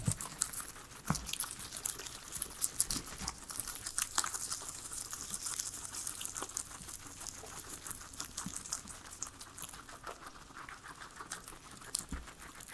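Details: Pet guinea pigs, three of them, enjoying their veggies: a dense run of fine crackling bites and leafy rustles indoors, with a few sharper crunches and no speech or music.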